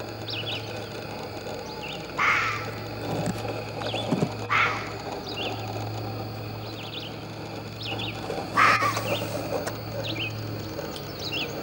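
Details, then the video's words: Three abrupt, hoarse fox barks, the first two about two seconds apart and the last after a longer pause, set against continuous bird chirps and a steady low hum. "The barking fox"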